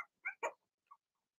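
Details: Blenheim Cavalier King Charles Spaniel puppies from Remy's first litter of six, two girls and four boys, in an indoor puppy pen; two quick, high yips a fifth of a second apart, then a fainter short squeak in otherwise quiet surroundings.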